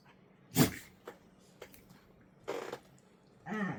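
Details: One of two dogs gives short, rough growls and grumbles while play-wrestling with the other, pure play with no hard biting.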